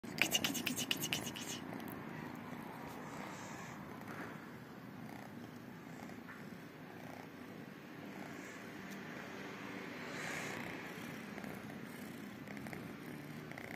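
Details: Tiny kittens, two calico and one tabby, purring while waiting every day for love and food; a soft continuous low rumbling purr, with a few sharp clicks and rustles near the start.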